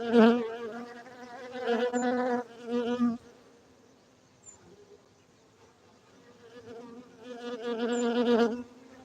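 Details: Cultivated honey bees at an apiary in Gayo, Bener Meriah, Aceh, Indonesia, buzzing in two strong waves of steady, harmonic-rich droning, separated by a quieter lull with a faint hum.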